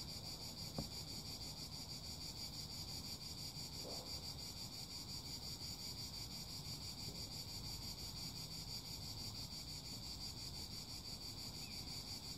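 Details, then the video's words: High, dense insect buzzing from cicadas pulses without pause above a breezy low rumble, with a single click at the start. "Song CHANT CIGALES - CICADAS"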